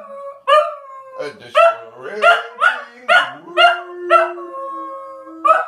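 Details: Little Scottish Terrier Oliver joining in a 'puppy song' at home: rhythmic run of short rising howls roughly every half second, ending in a long steady held note, with a person singing softly underneath.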